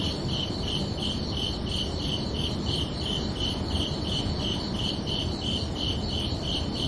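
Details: Crickets heard at night in summer, giving regular bright chirps, roughly two to three per second, unbroken across the recording, with a soft low-pitched rumble underneath.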